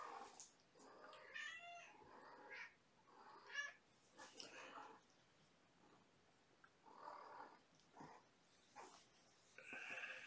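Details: Young kittens, part of a litter of five born April 14 to mother cat Gamora, at bedtime during lap time and play, May 2018; a series of high, harmonic-rich meows, some wavering, in short bursts with quiet gaps and rustling between.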